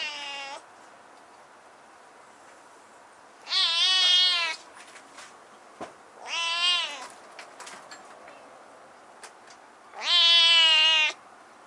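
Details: Kitten with a husky voice, up high in a room, meows four times over about twelve seconds: a short clipped cry, then three longer hoarse wails, each bending down at the end, separated by silence and faint taps.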